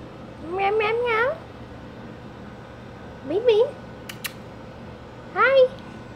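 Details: Pet cat Bean, a female, meowing indoors during hard rain that had her crying at the door; three clear meows that rise then fall, the first long and wavering, with a person's voice between them.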